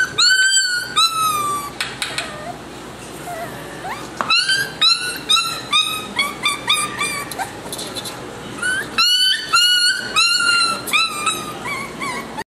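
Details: Affectionate little male Miniature Schnauzer puppy with a salt-and-pepper coat whining steadily. He gives loud, piercing, arching whimpers in quick bursts, with a brief quieter lull near the middle before the high-pitched yelps resume.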